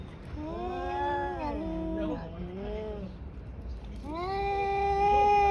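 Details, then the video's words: Two tabby cats brawling, giving long drawn-out harmonic yowls that waver and bend down, overlapping voices through the first half, then a rising, sustained howl building louder toward the end. "狸花猫大战狸花猫 | Brawl of Two Tabby Cats"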